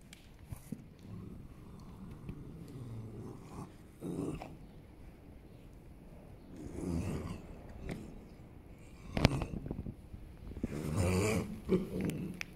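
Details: Holsteiner horse rolling on the ground, giving low, rumbling groans in several separate bursts, the loudest near the end, with rustling and scraping from its body between them.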